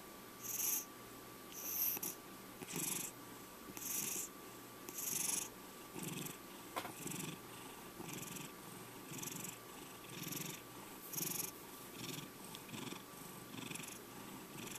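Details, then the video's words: Male domestic cat Checkers, five years old, keeps purring after being woken, the rasping pulses growing fainter and less even toward the end, with a faint click midway. "My Cat Purrring Over 2 Minutes!"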